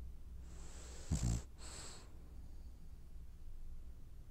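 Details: Sleeping French bulldog, dreaming, gives a snorting snore: a short rumbling, fluttering burst followed by a softer wheezing breath, then quiet low hum.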